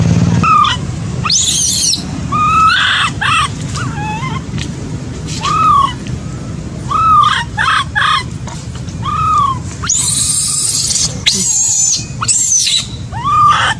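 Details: Baby macaque left by its mother, crying: a run of short arched whimpers, each rising and dropping, at uneven intervals, mixed with bursts of shrill broadband screeching and a constant low background hum.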